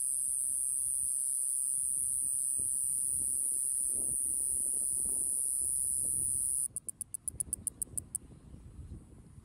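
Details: A tiny Iwasaki grass cicada, about 1.5 cm, sings on a finger in Okinawa in early summer. Its continuous high buzz breaks into about ten rapid clicking pulses, then falls silent, leaving soft low background noise.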